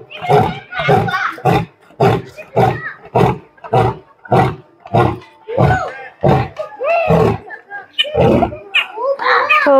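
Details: Asiatic lion in Birsa Zoological Park, Ranchi, India, giving a train of deep rhythmic grunting roars about every 0.6 seconds, fading into higher-pitched human voices and speech toward the end.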